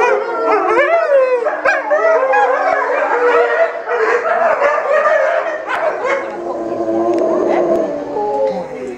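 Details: Captive Chinese wolf pack at Tennoji Zoo, Japan, filmed 8 October 2015, all starting to call at once, perhaps before a meal; bent, swooping howls with yips layered densely, thinning slightly toward the end.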